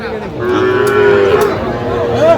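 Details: Cattle at the Aftabganj livestock market in Jamalpur, Bangladesh, on Saturday 25 October 2025, where small bull and heifer calves are sold. One long, steady, tonal moo holds through most of the clip and rises briefly at the end. Faint crowd murmur sits underneath.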